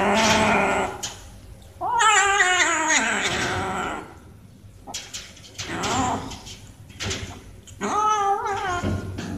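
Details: Two cats climbing fast for food; a series of loud, wavering meows rising then falling in pitch, in four bursts separated by short quiet gaps, with rustling between calls.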